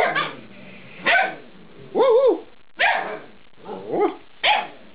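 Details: Alaskan Malamute puppies, eight weeks old, talking: six short yelping calls about a second apart, some with wavering, arched tones that rise and fall, over a quiet indoor background.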